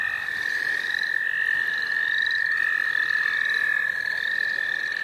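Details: Frog chorus recorded in the St. Olaf College Natural Lands: one loud, unbroken high trill runs throughout, with fainter, higher trills rising and fading behind it.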